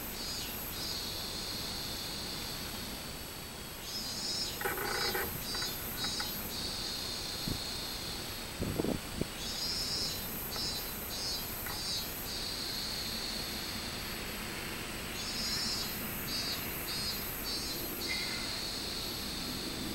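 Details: Robust cicada singing on 24 July 2016, drawn-out high buzzing phrases that break into rhythmic pulsed bursts and then settle back into a drone, the cycle repeating about every five to six seconds, with a few brief thumps in between.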